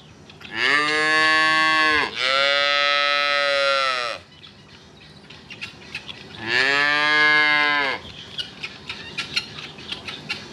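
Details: Cattle give three drawn-out moos, the first two back to back and the third after a short pause, each bright and harmonic; light clicking and knocking continues afterwards.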